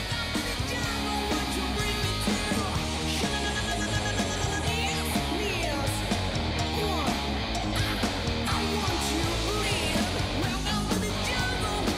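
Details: Loud rock music with driving guitars and drums fills the whole stretch, with no animal voice coming through.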